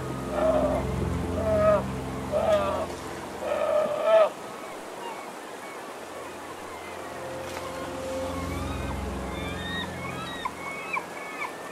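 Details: Hungry first-year spring brown bear cubs bawl in loud, wailing bursts, crying to their mother for food until she lets them nurse.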